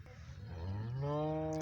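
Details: Friesian heifers kept for sale; one gives a deep, drawn-out moo that starts low and climbs slightly in pitch, holding a rich, harmonic, steady tone to the end, over a faint background rumble.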